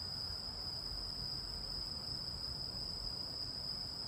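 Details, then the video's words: Continuous high, even buzzing trill from an insect said to be a cricket, grasshopper or katydid, unbroken throughout and heard over a soft low rumble of background noise. "이 소리의 주인공은 귀뚜라미? 베짱이? 여치? # Who makes this sound, a Cricket or a Grasshopper?"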